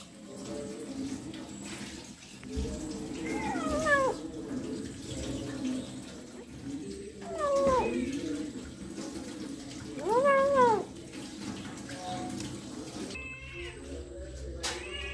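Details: Kitten eating a rat gives three drawn-out, arching meows spaced a few seconds apart, rising then falling in pitch, over a steady wash of running water and low room noise.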